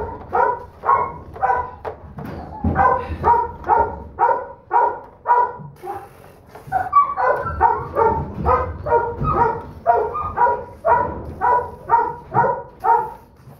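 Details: Doberman Pinscher puppy, a holdback female and the smallest of her litter, barks steadily in short yappy bursts about twice a second, with brief pauses and a faint low rumble underneath.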